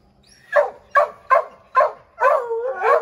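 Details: Redbone Coonhounds, a pack of five named Bo, Luke, Lulu, Cooter and Jesse, treeing a chipmunk in an oak tree: four sharp barks about half a second apart, then a longer drawn-out bawling howl.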